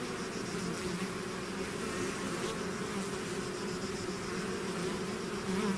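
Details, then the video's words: Bee swarm out of its hive, natural buzzing: a dense, steady drone with bright bands in the low-mid range, overlapping wingbeats merging into an even hum with slight swells throughout. "bees therapy swarm natural buzzing sound"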